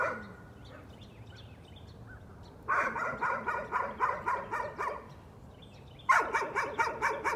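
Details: Dog barking as a nuisance: after a quiet start, a steady run of quick, evenly spaced barks for about two seconds, a short pause, then another fast burst of barks.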